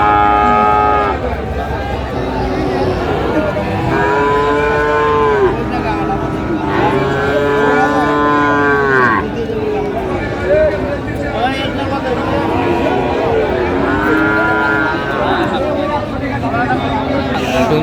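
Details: At Raniganj cattle market in Dinajpur, Bangladesh, on 15 January 2025, Friesian and crossbred bull calves low repeatedly. Calls come in loud, rich bursts of one to two seconds, several close together, set against steady crowd noise and voices.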